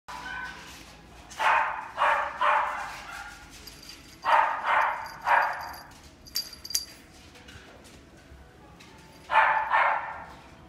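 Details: Female Shih Tzu, white and gold coat, born September 2018, giving short yapping barks in quick pairs and triplets, with pauses between bursts and a faint high electronic tone in the background.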